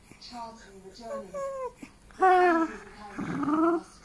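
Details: Pet dog begging for his ball with strange baby-like vocal sounds: wavering, whiny, harmonic tones that bend up and down in short phrases, ending in a louder drawn-out moan, indoors.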